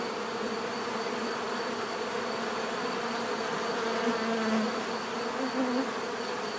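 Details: Many bees buzzing in a natural setting, a constant droning hum; around the middle and near the end a single bee passes closer, its louder wavering buzz rising briefly above the swarm.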